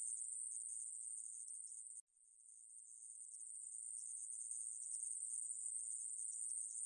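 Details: Conehead katydid (애매부리) from 2020 in Korea: a continuous, high-pitched, hissing buzz held at one steady pitch. It breaks off briefly near the two-second mark, then swells back in, with no other sounds.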